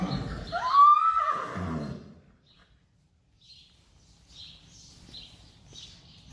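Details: Friesian horse herd on May 5, 2019, where a horse calls to go outside or for its mother. A clear whinny rises then holds a wavering tone before trailing off, followed by quiet with faint high chirps.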